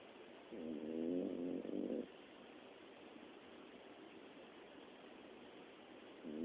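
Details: Miniature Dachshund snoring while asleep, a dog that snores day and night; one long rasping, buzzy snore of about a second and a half with a break midway, then steady room hiss and the start of the next snore.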